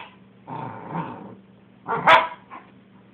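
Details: Gordon setter named Cora, playing with another dog called Sally: a rough, drawn-out growl followed by a sharp, higher bark with a short yip after it, over a steady low hum.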